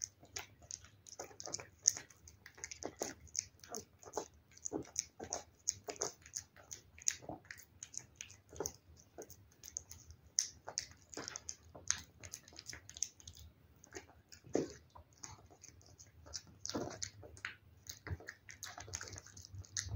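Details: Cat eating wet food, close up indoors: a steady run of quick, moist smacking clicks and licks, irregular but nearly continuous, with small bursts of louder chomps and no other sounds.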